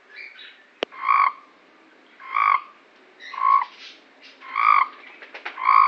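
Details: Cape Town frogs giving rich, buzzy croaks, five spaced about a second apart, with a single sharp click near the start and quiet background between calls.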